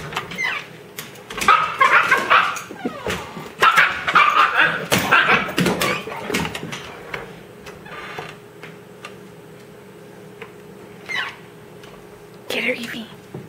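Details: Puppy defending the closet holding its dog food in a green bucket, indoors; a dense burst of rapid barks and yips in the first seven seconds, then quieter, with a couple of later yelps and knocking sounds.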